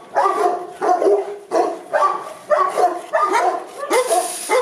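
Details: Boerboels at a kennel in Accra bark in a slow series of strong harmonic barks spaced unevenly, with a noisy hiss at the end.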